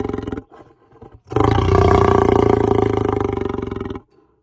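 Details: Lion giving a short growl, then a sustained, rough, deep roar lasting nearly three seconds that ends abruptly.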